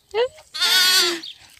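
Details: Goat kid rejected by its mother, bleating while being bottle-fed: a short rising cry, then a long, strained, harmonic-rich bleat lasting about half a second.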